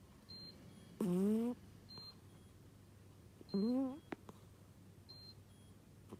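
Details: Odd snoring from a sleeping cat: two rising, whistle-like breaths about two and a half seconds apart, while short high electronic beeps repeat in the background, with a low hum indoors.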